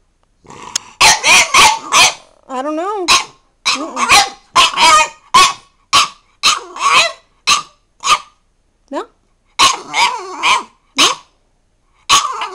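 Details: Talking back at its owner, a spirited French Bulldog lets out a rapid string of short, rough bark-grumbles, roughly twenty bursts in twelve seconds, some clipped and some drawn out, with a person's voice briefly mixed in.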